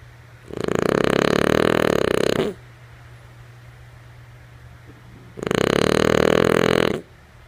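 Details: Female French Bulldog named Lulu sleeping and snoring: two long, rough, buzzing snores of about two seconds each, spaced around five seconds apart, with a quiet low hum between them.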